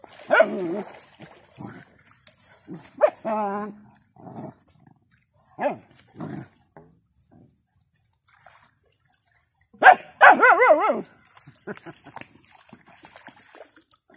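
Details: Puppies playing with their father, a happy domestic dog family at play: scattered short yelps, whiny wavering cries and growly barks in bursts, with a louder tumbling cluster of wavering squeals near the end over a faint steady high hiss.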